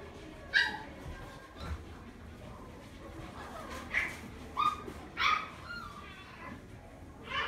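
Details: Chihuahua kept at a pet shop in Omihachiman lets out scattered sharp, high yips and short barks at uneven intervals, with faint room noise and a soft voice behind.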